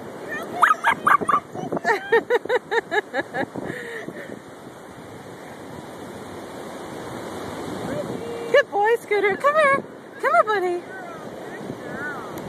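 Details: Dachshund playing with dog pals at the beach, filmed on a phone: bursts of high, yelping barks, with quick rhythmic yips early on and a later cluster of sharp rising barks, amid shouted cheering and surf-like background hiss.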